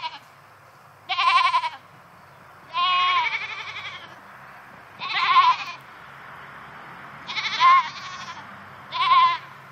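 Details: Goats left alone inside a new fence call out with five loud, quavering bleats spaced a second or two apart, one long and trembling, over a faint low hum.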